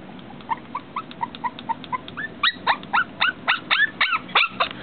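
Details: A female dog who cannot get through the glass whines repeatedly, soft short whimpers building to louder, sharp rising-falling cries about four per second.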